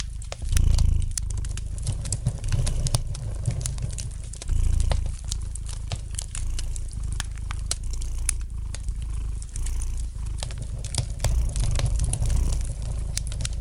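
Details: Deep, gentle purring from a domestic cat, with stronger rumbling surges near the start and end, accompanied by constant light crackling and snapping from a fireplace fire.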